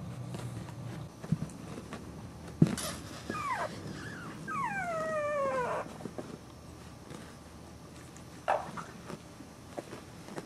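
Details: Boxer puppies whimpering: a sharp yelp, then a run of thin, high whines that slide downward in pitch, each curving down over about a second, and one more short cry near the end over a low background rumble.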